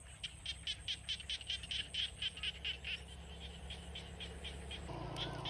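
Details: Frogs calling in an evening rice field in the Isan countryside of Thailand: rapid, evenly pulsed high-pitched clicking calls, several per second for about three seconds, then fading, over a steady low hum.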